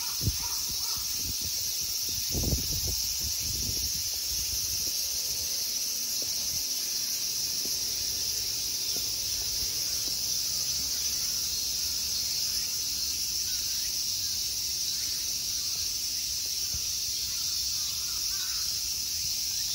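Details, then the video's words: Summer insect sound in the temple park of Honmonji, Ikegami, Tokyo, Japan: a steady, high, sizzling drone for the whole stretch, with a few low knocks and bumps early on. "Summer insect sounds."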